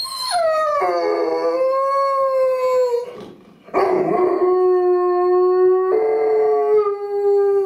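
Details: Dog howling, described as Dutch howling: long sustained tonal howls with rich harmonics, sliding down early then holding steady, broken by a brief pause near three seconds before the howl resumes at a lower pitch.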